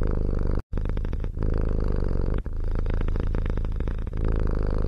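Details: Low, rolling cat purr with a quick pulsing grain, interrupted by a brief silent gap early on, then continuing steadily with a slight dip near the midpoint.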